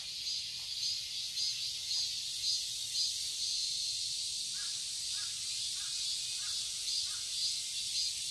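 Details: Summer cicada chorus in a Seoul garden, Korea: an unbroken shrill, hissing drone pulsing softly about twice a second, with a run of six brief harsh bird calls over the last four seconds.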